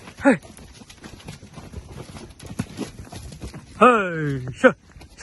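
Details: Six-month-old foals; a loud, drawn-out descending call sweeps down over about half a second. Short sharp human shouts come before and after it, over low rustling.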